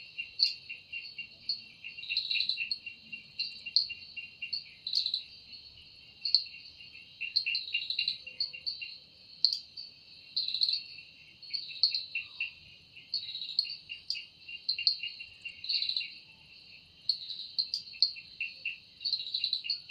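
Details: Evening forest cicada song, described as produced by the wings: a steady high-pitched buzzing hum broken into rhythmic louder pulses roughly every second, continuing without pause throughout.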